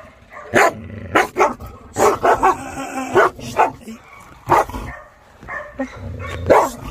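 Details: Maike, a Chow Chow being trained, barks in a chaotic burst: a string of short, rough barks, some doubled in quick pairs, scattered across several seconds, with brief words from a person now and then.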